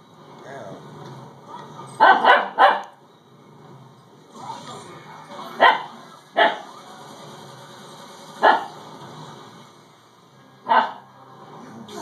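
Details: Dakota, a Siberian Husky puppy, barks at a doorstopper indoors: sharp yips in a quick triple near two seconds, then single barks roughly every two to three seconds, with a person talking softly between them.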